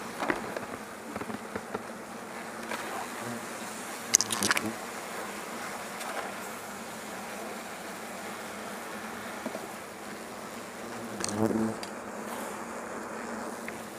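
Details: Many European hornets swept into an insect net while a huge nest is cleared from a facility's rest hut in Azuchi, Omihachiman, Shiga Prefecture, Japan; steady massed buzzing hum broken by sharp knocks near four and eleven seconds.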